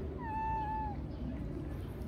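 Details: Female stray cat that jumped onto a person's lap and kept licking them: one clear, steady, tonal meow lasting under a second, slightly falling at the end, over a low background hum.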